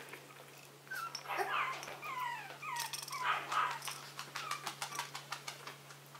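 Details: Young Maltese puppies indoors at the Herzen kennel, giving a run of high, wavering whimpers that slide downward, several overlapping in quick succession, with faint scuffling and rustling behind.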